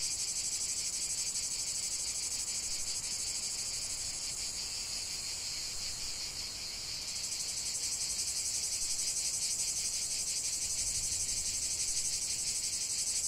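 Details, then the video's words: Natural cicada chorus for relaxation: a wall of sizzling high buzzing that pulses rapidly, one voice dropping out near the midpoint before another takes over, keeping the drone steady and loud. "45 min de chant des cigales"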